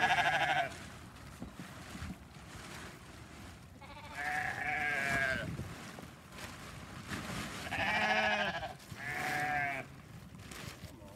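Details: Sheep at hay feeding, among them a hungry new ram lamb in a flock with seven lambs; four separate wavering bleats, each under two seconds, spaced through the stretch with rustling and handling noise between.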